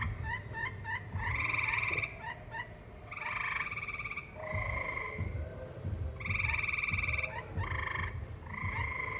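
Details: Tree frogs call in a valley with live music nearby: quick staccato clicks leading into buzzy trilled bursts, alternating between callers, over a low muffled background sound.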